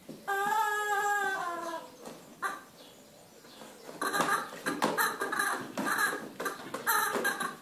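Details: Border Collie named Orrin lets out a drawn-out, tonal whine with rich harmonics, sliding gently downward for about a second and a half. A quiet pause follows, then a string of rough, broken bursts of mixed sound.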